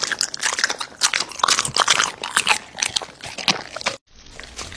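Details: American Bully feeding on raw meat: loud crunching and tearing bites come in quick uneven bursts, roughly two per second, then stop abruptly into near silence, followed by a faint low rustle.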